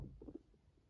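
A guinea pig gives a brief, low purr, a soft vibrating rumble with a few throbbing pulses.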